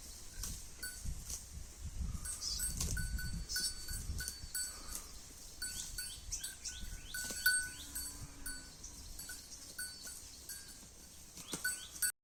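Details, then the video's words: Holstein Friesian cow eating grass: soft, crunchy tearing and chewing bursts clustered in the first four seconds, then quieter munching, with faint repeated bell-like ringing tones and a few light chirps in the background. "HF cow eating grass"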